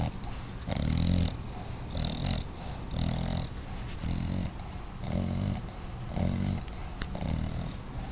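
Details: Five-month-old dog named Watson asleep and snoring, low rasping rumbles about once per second, some breaths carrying a thin wheezy whistle on top, steady and close.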